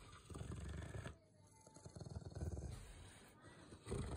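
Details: Rottweiler named Bear growling in an excited, worked-up state while still obeying commands: a deep, rumbling, pulsing growl in several long bouts, broken by short pauses, with the rough throbbing clearest in the middle.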